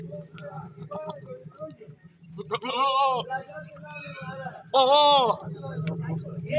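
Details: In a village, two loud, wavering goat bleats with a strong tremble rise over low murmured voices and a steady hum as a billy goat chases a nanny goat.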